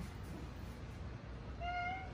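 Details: Pet cat politely asking for its dinner as its owner offers food: after a stretch of low indoor hum, one short, even-pitched meow with clear harmonics, lasting about half a second near the end.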